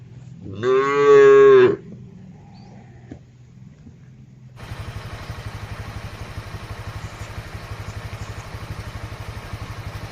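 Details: Herded cattle on broad grassland call back and forth while grazing; one loud, deep moo lasting about a second opens, then a pause, then a steady rumbling engine like a passing motorcycle takes over.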